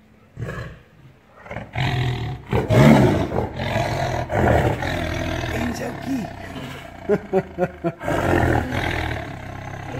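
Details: Caged tiger in captivity roaring with anger: rough, low roars building in swells, then a quick run of short pulsed grunts, ending in another drawn-out roar; a human voice is briefly heard.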